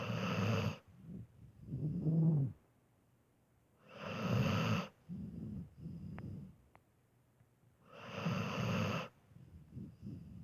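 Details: Pet dog snoring while asleep, with heavy breathing. Deep rasping snore bursts recur about every four seconds, each followed by softer wheezy breaths, then short silences.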